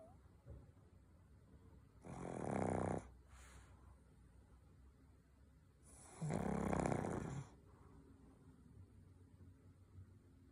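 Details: Sleeping pug snoring: two long, rough, rattling inhalations about four seconds apart, each near a second long, with soft breathing between and a quiet indoor background.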